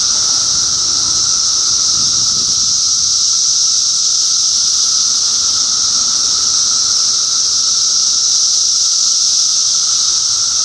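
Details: June 2013 in Middlesex County, New Jersey: countless cicadas produce one continuous piercing buzzing wall of sound with a steady lower whine, a soft low rumble briefly audible early on.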